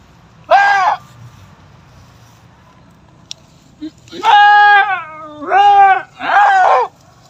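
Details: Goat giving birth for the fifth time; one wavering bleat, a pause, then three loud drawn-out bleats in quick succession, the middle ones sliding downward in pitch.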